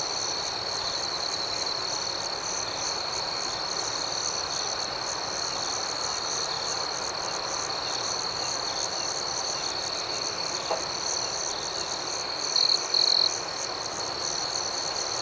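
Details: Crickets at night in a calm outdoor setting: a steady, high, ringing chorus of pulsed chirps continues throughout, with a brief louder burst of trilling near the end and no other clear sounds.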